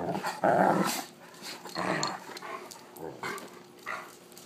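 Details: Nighttime play between wolf hybrid Sakima and a female Alaskan Malamute, filmed by iPhone: a loud rasping growl opens, followed by rumbling snarls and scuffling, fading to softer grumbles.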